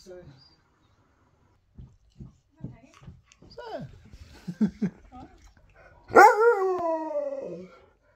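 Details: Indoors, a husky with his visiting best friend gives scattered short yips and a falling whine, then a loud, drawn-out harmonic howl that slides gradually downward for about a second and a half before fading.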